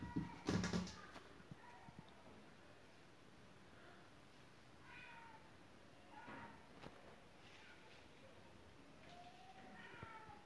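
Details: Domestic cat trying to get indoors through a shut window, mewing softly and repeatedly every second or two after a loud bump at the start; the meows are faint, rising then falling, over a low background hiss.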